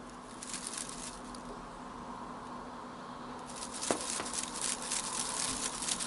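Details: Young blue British Shorthair female kitten Ronnie, eight months old, chatters indoors: bursts of rapid, fine ticking clicks, sparse at first and then dense toward the end, with one brief sharper chirp, in a quiet room.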